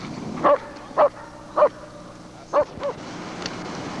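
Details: German Shepherd Lord v. Gleisdreieck (DDR working line), 1995 home footage taken from a TV screen, gives three evenly spaced loud barks, a pause, then two more, the last softer, over a low background hum.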